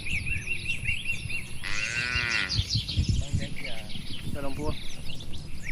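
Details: Dozens of cows resting and moving about a spacious farm barn; a single drawn-out moo of about a second stands out, with bird twitters, a steady high whine and rustling livestock sounds behind it.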